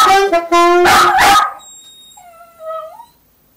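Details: Teddy the Westiepoo barks and yips at saxophone playing. Two loud, harmonic barks open the passage, followed by a rough burst. A thin, wavering whine rises and falls as the noise fades out.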